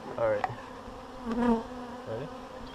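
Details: Honeybees from a swarm shaken into a hive: close passing buzzes with a tonal, harmonic whine that swells three times over a softer background hum.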